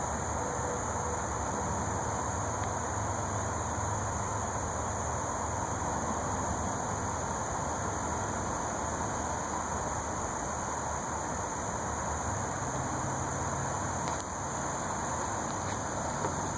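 A red-headed bush cricket sings a steady, high-pitched continuous buzz over a low traffic rumble.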